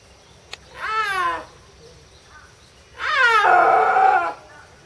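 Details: Captive snow leopard at Tama Zoological Park, Japan, filmed in October 2012, giving two loud, drawn-out wailing calls, the first short and falling, the second longer and rougher, separated by a couple of seconds of quiet.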